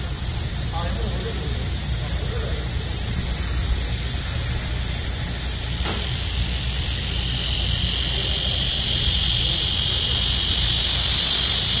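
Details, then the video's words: Cicadas in the heat of midsummer, a steady shrill drone that swells toward the end, with a second, lower buzzing layer joining partway through and faint voices underneath. "한여름 매미소리 - 데시벨이 엄청 나네요"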